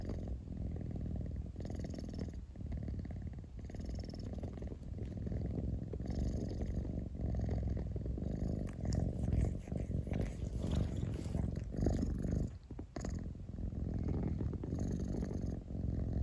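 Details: Close, steady purring from a house cat: a low, even, buzzing rumble held almost without pause, with faint soft rustles over it.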